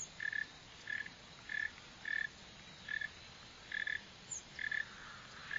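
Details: A northern mole cricket (Neocurtilla hexadactyla) gives short, buzzy chirps repeated at a steady pace, about every half second.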